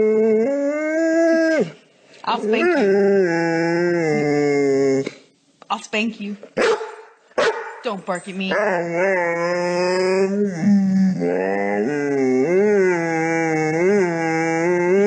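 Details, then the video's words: Talkative dog giving drawn-out, tonal howls and moaning vocal phrases that bend up and down in pitch, broken by short pauses and brief choppy sounds around the middle, with human voices mixed in. "Talkative dogs"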